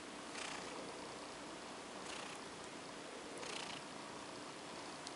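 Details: Female pet cat called OCD Cat purring as she is petted to sleep indoors; a steady soft rumble swells in broad breathy surges about every one and a half seconds.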